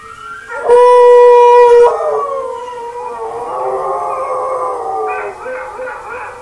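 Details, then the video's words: Pet dog howling at himself, opening with a loud, flat held note of about a second, then a softer, wavering howl that slides down, lingers, and lifts again near the end, indoors with no other sounds. "Howls at Himself Again"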